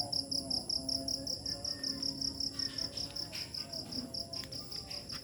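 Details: Evening chorus of crickets in a rural village at dusk and night: very regular, sharp, high chirps repeating roughly three times a second, clear and dominant over a quiet low rumble.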